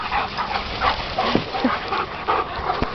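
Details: Playful puppies at fetch, with a rapid, irregular run of short barks and yips, about three per second, then a final sharp click. Noisy outdoor background.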